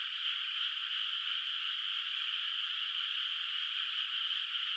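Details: A night chorus of frogs in a countryside rice field under moonlight, before rice planting, heard far off: a continuous buzzing wall of many callers, level and uninterrupted, with nothing else audible.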